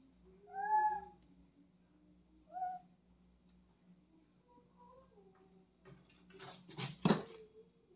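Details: A male cat, afraid to jump down after climbing, utters two clear plaintive meows, then soft faint murmurs, followed by a burst of thumping and scraping noises, all over a steady background hum.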